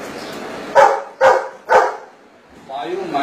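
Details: To answer a subtraction question, a Golden Retriever gives three quick, loud barks in a steady rhythm about half a second apart. A person's voice follows immediately after the final bark.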